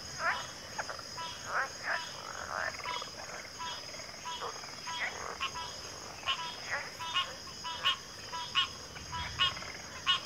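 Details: Dense frog chorus: clipped, rasping croaks repeated roughly every second, some louder bursts toward the end, all laid over a constant shrill insect drone.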